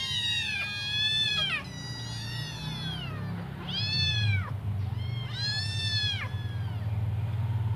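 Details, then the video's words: While waiting for their mother to feed them, five hungry kittens produce loud, high, arched meows in three or four bursts. A strong low droning hum runs throughout. "Five hungry kittens meowing waiting for their mum to come back to feed them"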